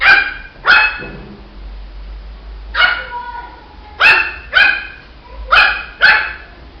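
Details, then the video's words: Barking from a Shih Tzu puppy: short, shrill yaps in loose pairs and triplets separated by brief pauses, each bark rich in ringing overtones. "Som de latidos de filhote de Shih tzu"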